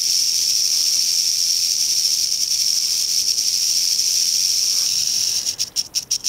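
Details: Crotalus oreganus, the western rattlesnake, encountered along Andrew Molera State Park's East Molera trail, California, in August 2010, keeps up a sustained sizzling buzz that breaks into rapid pulsed stutters near the end.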